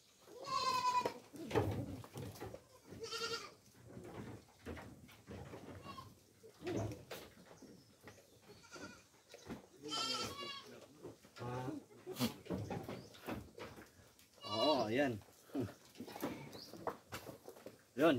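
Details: Farm goats being fed coconut pulp after rain earlier in the day; several wavering, nasal bleats rise at intervals over steady talking by a man nearby.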